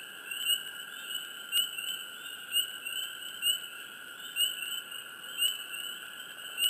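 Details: Chirping frogs in a swamp at close range, single sharp notes repeating about once a second over a hushed, hissing wetland chorus.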